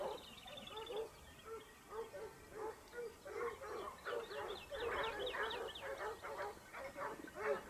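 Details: Topsfield Lebrera Basset Hound pack hunting in Spain during 2015-16, the hounds' second year; a chorus of short yelping bays, irregular but rapid, building louder toward the end, with faint high chirping above.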